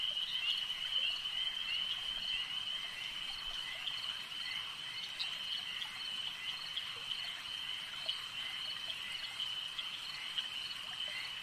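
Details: Frogs calling at a lake at night: a dense, unbroken chorus of high, shrill trilling that holds one steady pitch, with faint pulsed notes woven through and no other clear sounds.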